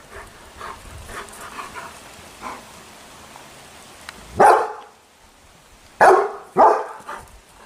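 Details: German Shepherd puppy, described as angry, giving a faint stretch of low noise and then three loud barks, one alone and two close together near the end.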